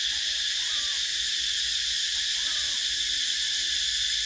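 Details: A shrill, unbroken high buzzing of cicadas in summer, 2024, runs through the whole stretch, with two faint rising-and-falling whistled tones sitting well below the drone.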